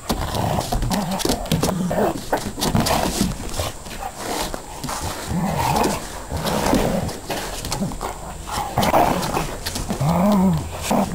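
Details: Two dogs, an Akita and a border collie/lab/bull terrier cross, wrestling in play; recorded on a digital still camera in movie mode. Continuous low rumbling growls with short snarls and scuffling throughout, with a brief whining rise near the end.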